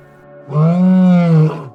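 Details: Cow mooing in a relaxing farm-sounds compilation: one low, drawn-out moo lasting about a second, steady and full, then falling slightly at the end, over a quiet background.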